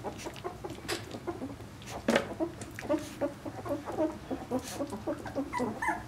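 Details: A litter of Vizsla puppies at two weeks of age, Piper's pups born 20 February 2012, fill the air with rapid little yelps and whining squeaks, irregular and overlapping, with some scuffling movement.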